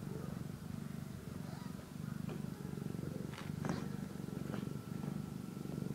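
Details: Steady low purr from a kitten eating and sleeping, its rumble swelling and easing with each breath about every second, with faint clicks and small rustling sounds overhead.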